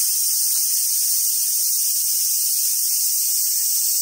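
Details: Summer cicadas at Awaji Island Monkey Center in southern Sumoto, Hyogo, Japan, where wild Japanese macaques gather: a dense, shrill, unbroken high-pitched drone fills the whole clip with no pauses and no other clear sounds.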